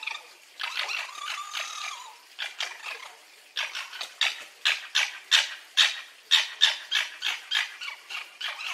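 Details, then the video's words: Red fox squeaking and yelping: a wavering, squealing whine with harmonics opens, then a run of sharp, harsh yelps at about three per second, steady and fairly evenly spaced to the end. "Sons de renard, couinement de renard, glapissement renard"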